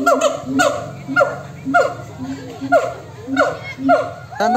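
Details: Monkeys calling back and forth, falling harmonic yelps repeated roughly twice a second in a steady rhythm over a low hum, ending with a brief noisy burst.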